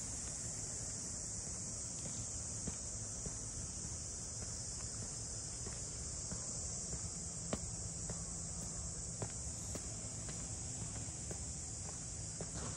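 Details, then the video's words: Steady cicada chorus in Ine, a harbour district of traditional funaya boathouses north of Kyoto, Japan: a constant shrill whine that never falls or changes pitch, with soft footsteps tapping underneath as someone walks through town. "cicadas voice"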